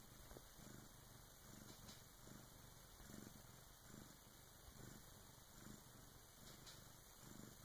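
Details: Purr from Karma, a Bengal cat, as her first kitten is born with her big sister's help: a low, pulsing rumble rising and falling in short breathing cycles, quiet and close, with faint hiss behind.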